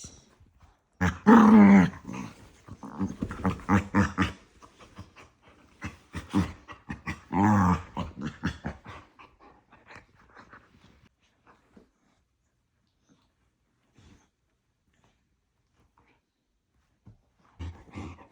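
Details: Two pet dogs, a pair acting like a married couple, argue nose-to-nose indoors with playful love bites; loud growly yapping bursts come in clusters, then fade into quiet with faint snorts near the end.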